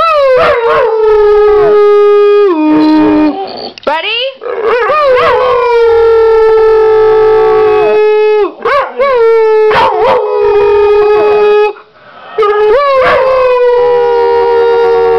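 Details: Layla, a 6-year-old female pit bull and foxhound mix, howls on cue while missing her owner's mother, filmed 2009: long, loud, steady-pitched howls with rich overtones, broken by sharp rising yips and slides between drawn-out notes.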